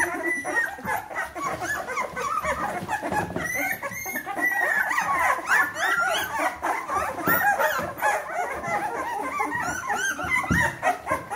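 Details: Bernese Mountain Dog puppies, 14 days old, from the B litter of Jeanie and Captain, squeal together. High, thin whimpers overlap one another constantly, with the litter's rising and falling cries forming a dense chorus.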